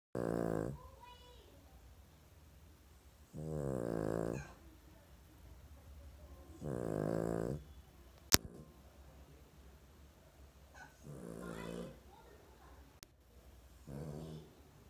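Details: Sleeping Lhasa Apso mother: slow, rasping snores in a low wheezy register, one drawn-out breath about every three to four seconds, with a quiet room hum and two sharp clicks between breaths.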